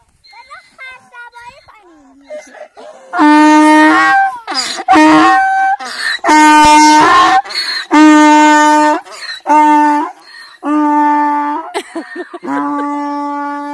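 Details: A nomadic Sangesari donkey in Iran's Alborz Mountains brays loudly in harsh see-sawing blasts, answering another donkey's call played from a phone and searching for the sound.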